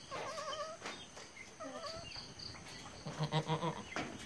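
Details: Goat on a farm after giving birth to three kids: thin, high, quavering bleats with a trembling wobble, several in quick succession, followed by a short run of pulsed lower calls amid background rustling.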